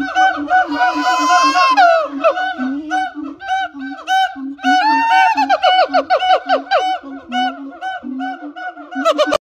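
Siamang giving loud, honking, harmonic whoops in quick, swooping series.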